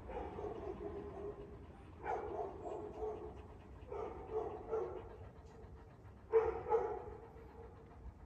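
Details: Year-old Kangal puppies in Alanya, Antalya, Türkiye, 21 September 2024, give mid-pitched barks in short bursts: a few near the start, paired barks around four seconds, then a louder double bark near the end, over low background hum.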